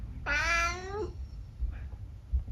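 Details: Talkative senior tabby mix Eric, kept as a pet in the UK, answers his owner with a single drawn-out meow lasting almost a second, starting bright and sliding downward, followed by quiet room noise and a faint murmur.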